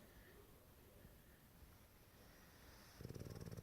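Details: Bodie, an AKC-registered male English Bulldog in Prosper, Texas, snores loudly while napping in an office, ending in a loud, low rattling snort.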